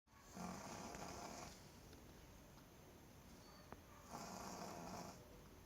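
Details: Pug asleep, snoring: two long, raspy, rushing snores roughly four seconds apart, each lasting about a second, with softer noisy breathing in between.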